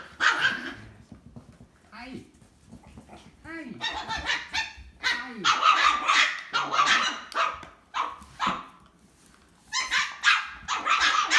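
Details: Orlando, an 8-week-old black male Wire Terrier cross puppy, plays with littermates. His mother is a gray Wire Terrier and his father a Wire Terrier/Chihuahua. High yips and short barks come in bursts, with curving whines, while a woman talks to them.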